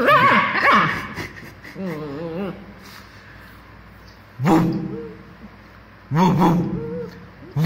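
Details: A 2-month-old female German Shepherd puppy, playing, gives short, high yapping barks mixed with whiny, wavering yelps.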